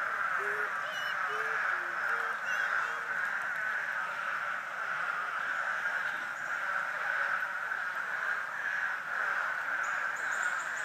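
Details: Frogs calling together at a vernal pool in a pasture, their steady overlapping trills forming an unbroken droning chorus; a few short lower clucking notes stand out near the start, and a faint high whine appears near the end.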